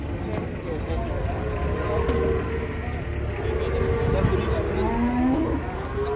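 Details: Agitated cow being unloaded from a truck gives long, steady moos, some sliding slightly upward, amid ongoing men's voices and the low rumble of activity around the truck.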